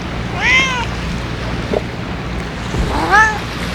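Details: Two rising-then-falling meows, about two and a half seconds apart, from ear-tipped stray cats at feeding time on a windy day, with a steady low wind roar underneath.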